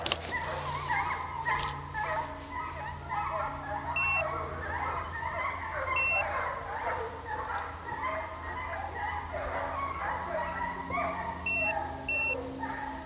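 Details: Hounds chasing deer during a hunt at St Helena, South Carolina: many overlapping drawn-out bays and bawls form a dense chorus, with a steady low engine hum and short electronic double beeps recurring every few seconds.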